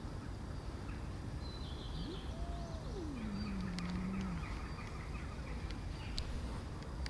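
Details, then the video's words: Angry tortoiseshell cat gives one drawn-out tonal cry that rises briefly, then slides down and holds low for about two seconds before fading. A steady background hiss runs throughout, with faint scattered high clicks. "Tortie cat is angry"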